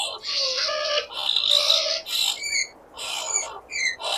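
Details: Skunk giving almost continuous squeals, with tonal wavering cries blending into harsh, hissy bursts and short higher chirps, dipping briefly between phrases.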